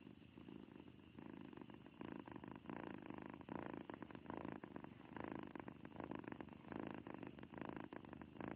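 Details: Contented cat purring steadily at close range, a deep rattling rumble swelling and easing in regular waves with each breath, in and out, over eight seconds.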